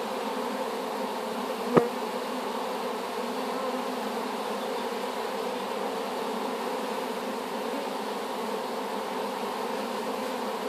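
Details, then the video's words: Honey bees in their new hive after being collected as a swarm from an apple tree, droning in a continuous even hum, interrupted once early by a single sharp click or tap. "Just Bees"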